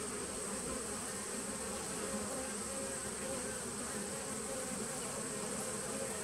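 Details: A 2017 nuc of bees, recorded 19 September 2018, gives a smooth, steady buzzing drone, full and level for about six seconds with no other sounds standing out.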